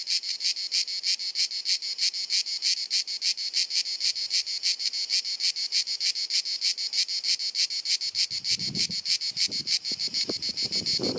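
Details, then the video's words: Cicadas singing on a hot sunny summer afternoon in Dalmatia, Croatia: an incessant, penetrating buzz pulsed about three times per second, with faint low rustling or thumps near the end. "Cicada Singing ☀️ Pjesma Cvrčka ☀️ Chant des Cigales ☀️ Zikaden Geräusche ☀️ アブラゼミ☀️Cigarra Cantando"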